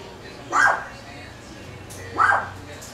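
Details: Four-week-old Chihuahua puppies, two short rising-then-falling whines about a second and a half apart, with a woman talking softly nearby.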